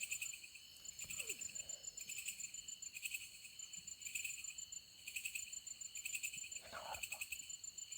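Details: Insects calling at night from a tree in deep jungle beside a tent: loud, high shrill buzzing delivered in rapid pulsed bursts. The bursts repeat about once a second in a steady, rhythmic chorus, with faint low rustling beneath.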